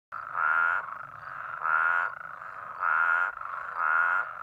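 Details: New Mexico spadefoot toads calling from rain-filled pools after a heavy rain, emerging to spawn; heard from a little over a mile away. Four loud, nasal, buzzy calls, each about half a second long, repeated roughly every second.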